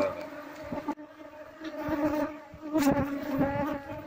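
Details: Wild Asian honey bees (Apis cerana) buzz as their wild hive is harvested; a steady low droning hum with a strong overtone, swelling and fading, broken by handling thumps and rustles.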